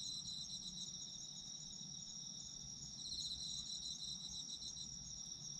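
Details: Chorus of autumn insects: one continuous shrill ringing note alongside a fast, pulsing trill that strengthens briefly midway, over a faint low rumble.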